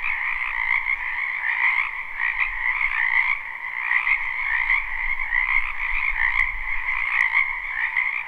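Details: Many frogs calling together in a spring wetland, live and unlooped: an unbroken, shimmering mass of high trilled croaks with a second lower layer, pulsing gently, plus a couple of faint sharp clicks near the end.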